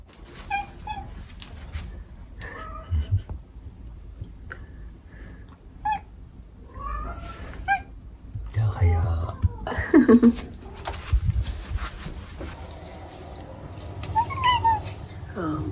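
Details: Domestic cats Omusubi and Ace indoors in the morning, Omusubi in a very affectionate, talkative mood and Ace constantly chattering while being held. Scattered short, rising-then-falling meows across the stretch, mixed with human voices and room noise.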